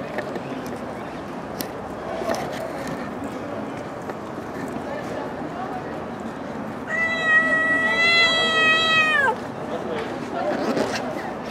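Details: Stray cat living on the street lets out a loud, long, steady meow rich in overtones lasting over two seconds, after a stretch of quiet outdoor town ambience, with people speaking Turkish nearby.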